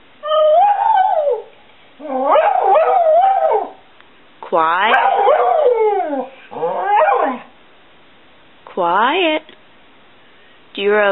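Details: A 7-year-old Border Collie mix called Stewart Little sings about loving his family, producing six separate yodelling, warbling vocal bursts that rise and fall in pitch, interspersed with short pauses and brief spoken prompts.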